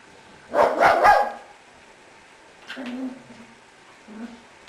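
A Cavalier King Charles Spaniel gives a quick double bark, followed by softer whines and grumbles.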